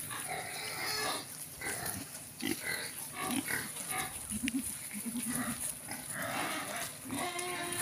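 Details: Free-range native pigs, many animals calling together: harsh, broad grunts and brief squeals come in dense bursts for the whole stretch, with low rumbling grunts in between and faint voices behind.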